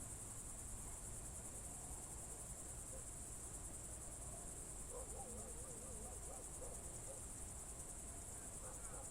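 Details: June 2023 evening in Novgorod Oblast's Novye Buregi tract, crickets keep up a constant thin high trill; faint wavering warbled notes of a bird appear in the second half against quiet low background noise.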